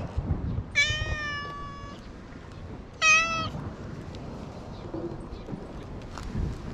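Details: Friendly stray cat on an island, filmed on a GoPro HERO8, lets out two clear meows about two seconds apart, the first long and even, the second shorter and bending downward, against low outdoor hum and faint rustling.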